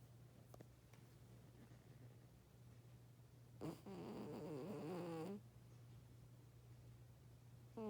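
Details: Lucy, an old pet cat, snoring while asleep, louder than her owner: one rasping, wavering snore lasting about a second and a half, over a steady low electrical hum in a quiet room.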